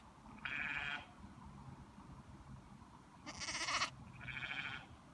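A young lamb gives three short, quavering bleats, the middle one louder and harsher.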